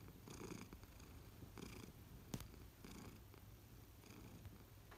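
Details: Purring from an adult pet American Shorthair cat at home, a continuous low rumble rising and falling with each breath, plus one sharp tap-like click midway.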